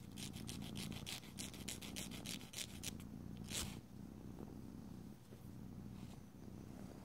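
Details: Pet cat purring during nail filing: quick rasping file strokes dominate the first three seconds, then fade, leaving a steady low purr rumbling underneath until the end.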